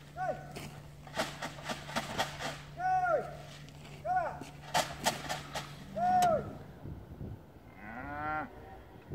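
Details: Limousin cows on their winter trek from polder to deep-litter barn in the Hunzedal; several short arched moos among frequent clattering knocks and a steady low hum, ending with a longer deeper moo.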